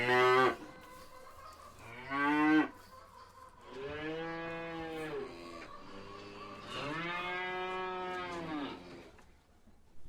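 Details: Dairy cattle mooing: several long, deep, harmonic-rich moos, some short and loud, others drawn out over two seconds, at irregular intervals, in a quiet setting.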